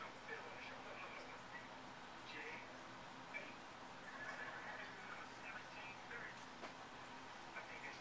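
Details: Nigel, a five-year-old male Siamese cat known for a weird meow, gives faint, scattered, wavering cries, with short bursts near the middle and a quiet hiss of background noise throughout.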